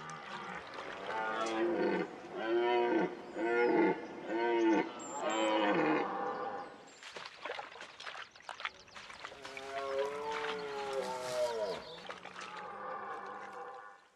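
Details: A European red deer in the Donau-Auen National Park, Austria, a floodplain forest, gives deep, harmonic bellowing calls in a quick series, then one long drawn-out call.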